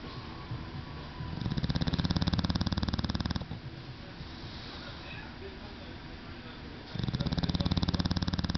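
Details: Sleeping English Bulldog snoring with a low, engine-like rattle: a two-second burst of fast pulsing vibration, a quieter gap of softer breathing, then another rattling snore begins.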